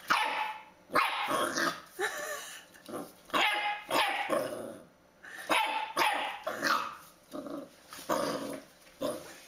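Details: Puppies barking in a rapid series of sharp, harsh yaps, roughly ten bursts in under ten seconds, some overlapping, with brief quiet gaps between volleys.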